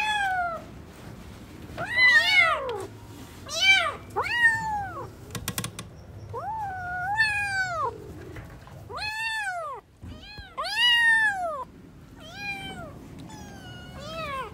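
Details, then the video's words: Newborn kittens at play, meowing over and over: high, arching cries, some short and some drawn out, overlapping at times, with a brief burst of clicking near the middle. "New born kittens are playing 😂🤣 | cute cats meowing"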